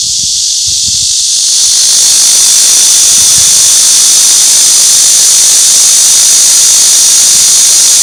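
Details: Cicadas droning in a continuous shrill hiss that swells slightly louder after the first second and a half, then holds even and steady, with faint low knocks near the start.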